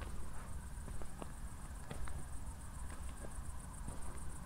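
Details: Night crickets in Zwettl, Austria, shortly after a thunderstorm give a constant high rapid pulsing chirp behind soft walking steps and low rumbling background noise.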